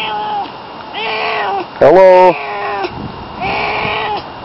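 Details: Pet cat Barney meowing: several drawn-out arched meows, one cut across by a brief loud harsh outburst midway, then more soft tonal mews toward the end.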